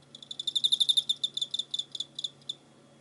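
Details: Cricket chirping, recorded 24 November 2016: a single trill of rapid high pulses building quickly, then slowing and thinning out over about two and a half seconds, with a soft background hum.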